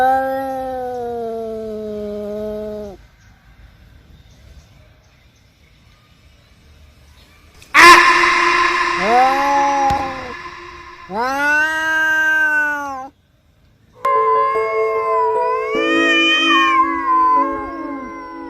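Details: Two cats on roof tiles trading long drawn-out yowls and wails, a low steady moan first, then after a pause louder rising and falling howls that overlap, with harsh noisy bursts between calls.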